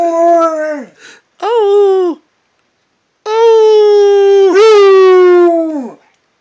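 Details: Pet Redbone Coonhound howling: two short falling howls, a pause, then one long sustained howl that holds steady before a brief yodel-like break and a drooping finish.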